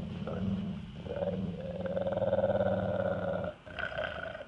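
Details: Yellow female Labrador Retriever licking peanut butter from a jar, growling when a man gets too close: a low, continuous rumbling growl of about three and a half seconds, fading before a brief soft rustle.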